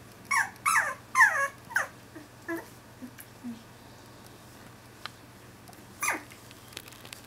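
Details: Finnish Lapphund puppies, two weeks old, complaining and sneezing: several sharp, wavering whimpers in quick succession, then softer short grunts and a lone squeal near the end, against a faint steady hum.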